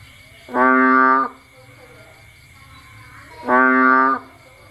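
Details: On a rainy Cambodian night a bullfrog, out foraging, gives two big, loud, lowing calls of rich harmonic tone, each lasting under a second and three seconds apart, against faint background hum.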